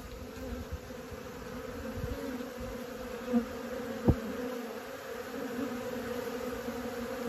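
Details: Honey bees learning to fly, a steady low hum with a strong band and overtones, continuous throughout, with a few soft knocks and clicks.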